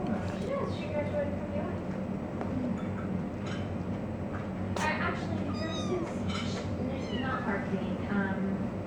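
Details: Three-week-old foster kittens playing with water bowls and sneezing: scattered faint high-pitched mews and squeaks over a constant low hum, with a sharp sneeze-like burst near the middle and some quiet speech.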